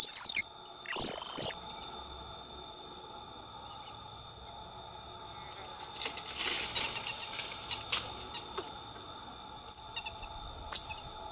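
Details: A black-tufted marmoset (Callithrix penicillata), endemic to Brazil, calls with a couple of loud, very high, thin whistles at the start, followed by soft rustling and a single click.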